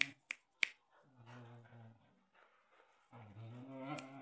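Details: Samoyed and white Husky, Alpha and Odie, tugging on a toy together; three sharp clicks or snaps open, followed by low, rumbling growl-like grumbles, with a brief gap before a second longer rumble.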